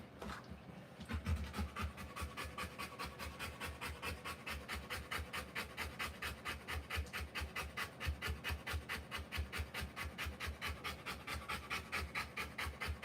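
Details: Rottweiler giving birth to puppies, panting steadily: fast, even breaths repeating a little over twice per second throughout, each a soft breathy puff, with no other clear sounds.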